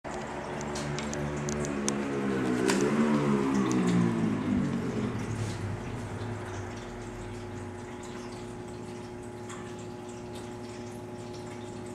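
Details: Running water swells and fades indoors, leaving a steady electrical hum with faint clicks and no animal voice.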